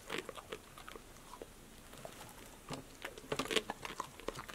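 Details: Passport, a pet female dog, eating crunchy snacks such as apple slices, lettuce, sunflower seeds in the shell, tomatoes and green beans indoors; sharp crunches and bites come in irregular bursts, thickest near the end.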